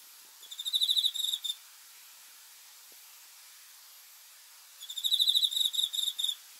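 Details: Cricket at night producing two short bursts of rapid, high-pitched pulses that swell in loudness, separated by about three seconds of soft background hiss.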